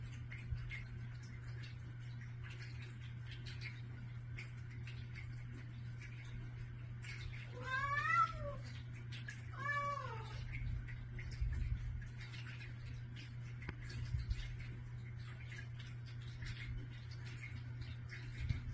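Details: House cats begging for their morning food indoors: two long, wavering meows roughly two seconds apart near the middle, otherwise quiet room with a constant low hum and faint clicks.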